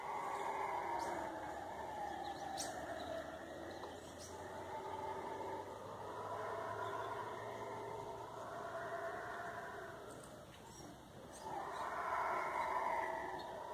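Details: Howler monkeys roaring in the forest, a ghostly sound heard before dawn and at night: layered, surging moans that ebb around ten seconds and build again at the end, with scattered faint clicks and a low hum.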